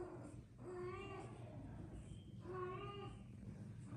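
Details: Persian cats with their tiny kittens, playing: two clear harmonic meows, each about three-quarters of a second long, rising slightly then falling, spaced about two seconds apart over a low steady background hum.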